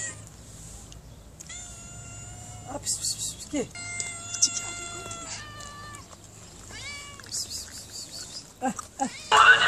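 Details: Hungry mother cat fed by a woman who looks after cats, uttering a series of long, steady, harmonic meows, several bending downward at the end, with brief rustling between calls.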